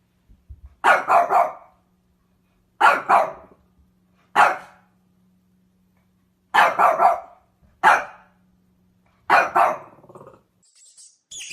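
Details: Dog barking in six separate bursts across about eleven seconds, each burst one to three sharp, mid-pitched barks with pauses between; a faint steady low hum runs underneath and a thin high sound appears at the very end.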